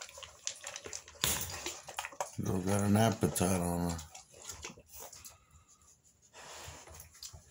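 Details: Three-week-old American Bully puppies, classic type, blue fawn, feeding with an appetite indoors; a loud, harmonic whine of about a second and a half wavers and falls, amid shuffling noises and a man's voice.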